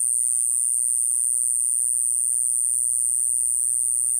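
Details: In Okinawa, an Iwasaki grass cicada (Mogannia minuta) drones a steady, shrill, very high buzz without pause; only a quiet low hum sits underneath.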